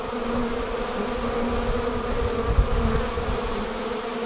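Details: Departing swarm of honey bees forming outside the hive, a dense continuous hum with strong steady low tones and a rough, fluttering texture beneath, unbroken throughout.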